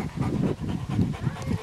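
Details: Close dog panting: rhythmic, breathy low pulses, roughly four per second, steady and unbroken throughout, with no other sounds standing out.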